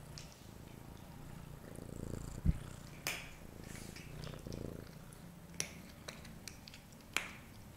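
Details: Daddy, a pet cat at the litter tray after a meal, purrs in a low continuous rumble that swells in pulses around the middle, broken by sharp snapping clicks and a thud in a small indoor room.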